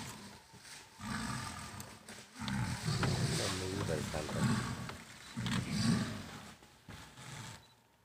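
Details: Tigress and her 26-month-old daughter fighting in Kanha National Park as the mother threatens the young female to leave her territory. Deep roars and snarls rise in pulsing bursts over murmured human voices.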